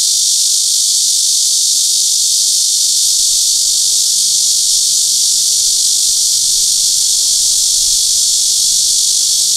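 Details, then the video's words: Cicada of the genus Cryptotympana (Crytotympana pustulata / Cryptotympana atrata), Sony PJ820 camera with ECM-XYST1M mic; an unbroken, intense shrill drone, even in loudness from start to finish, nothing else clearly heard. "Sound of Crytotympana pustulata / Cryptotympana atrata (紅脈熊蟬的叫聲)"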